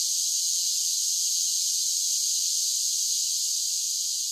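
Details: Cicada song on a summer day, a continuous shrill, sizzling drone held at an even loudness throughout, with nothing else heard.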